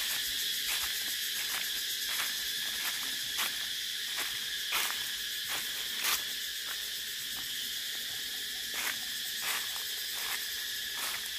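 A cicada gives a steady, shrill, buzzing drone that holds without a break.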